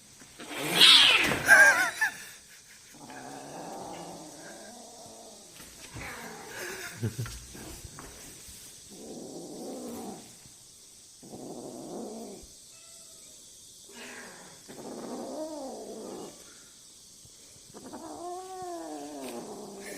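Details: Rescued tiny kitten, just picked up downstairs after nearly being hit by a car, resting indoors near the household's other cats; a loud burst at the start, then a series of short rising-falling mews repeated every couple of seconds, with a steady high hiss behind.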